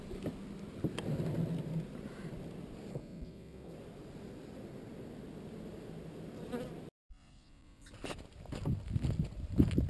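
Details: Honey bee swarm being relocated from an undesired location: a dense, low droning hum of many bees, steady for about seven seconds, then a brief cutout before the buzzing returns with louder rustling and knocking.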